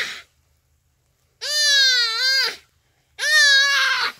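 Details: Common duiker crying for help in its dying moments as a cheetah kills it, Phinda Private Game Reserve, rainy afternoon; two loud, drawn-out wailing cries about a second each, rich in harmonics, with a short pause between.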